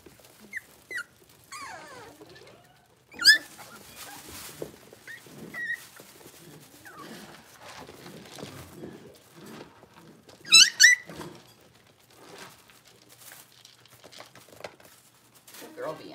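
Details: Six-week-old blenheim Cavalier King Charles Spaniel puppies, a litter of five born to Paris and Spike on New Year's, in a home puppy pen: thin high whimpers and squeaks, with two sharp rising-and-falling whines standing out, over soft rustling and shuffling.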